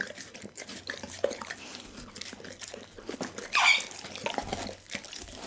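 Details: Dougie, a pit bull, eating a whole raw chicken; soft wet chewing and licking with one loud hissing crunch burst midway, otherwise quiet smacking sounds.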